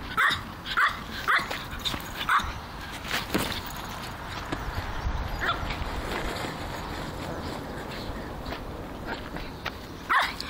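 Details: Elliot, a Griffon Bruxellois dog at play with a football, gives brief high yapping barks, four in the first two and a half seconds, then a long stretch of scuffling and handling noise before one last bark.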